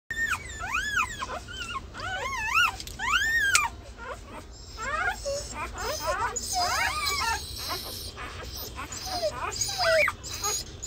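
Several Golden Retriever puppies whine together, their thin, rising-and-falling squeals tumbling over each other in quick bursts. The cries come in rapid, arching yelps, with a low background hum and perhaps faint voices.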